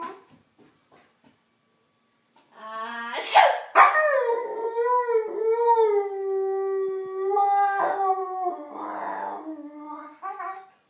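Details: Siberian Husky howling each time it hears someone sneeze: a sharp sneeze-like burst, then a long, sustained, wavering howl of about seven seconds that sags gently in pitch and ends in a short, rougher break.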